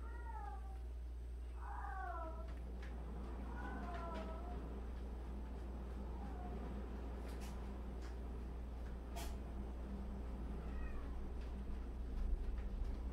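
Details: In a house of 76 cats, a quick run of wavering, drooping meows opens the stretch, then quieter scattered mews and clicks follow, with a low background hum throughout.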